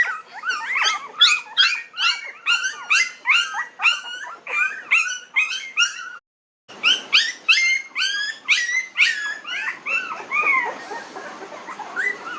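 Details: Nineteen-day-old puppies yip and whimper, sharp high squeaks repeated in quick runs about three each second, broken by a short silent gap before the chorus resumes and trails into softer whines.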